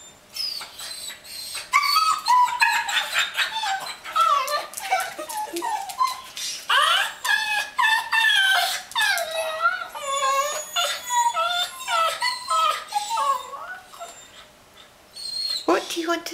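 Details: Border Collie puppy and Cavalier King Charles dogs eager for a walk, indoors, giving rapid high whines and yips that rise and fall in wavering pitch, densely repeated, with a brief pause near the end.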